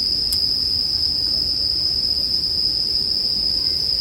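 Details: Steady high trilling of many bell crickets mixed with bonfire sounds for sleep; a loud crackle snaps early on, then the even ringing tone carries on over a low fire hiss.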